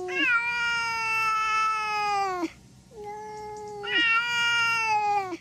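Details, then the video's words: Domestic cat giving two long, drawn-out meows, each about two and a half seconds, steady in pitch with a brief dip at the start and a rich, nasal tone, separated by a short quiet gap. "cats meowing"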